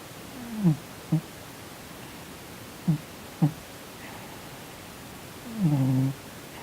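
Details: Sleeping domestic cat named Sonny, twitching and snoring indoors, possibly dreaming, gives short soft low grunts spaced about a second apart, then a longer murmuring vocal sound near the end.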